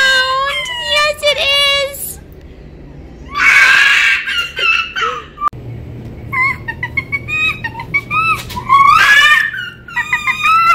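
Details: Red fox Winter, born on a fur farm and rescued at five months, gives a series of high whimpering whines. A burst of loud rasping noise interrupts them, then choppy whines resume indoors.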